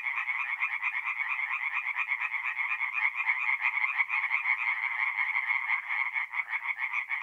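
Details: Night chorus of tree frogs at a forest pond, north-east Italy, mid-April; fast rasping pulses pour out without pause from many overlapping frogs, forming a steady, bright, unbroken wall of sound.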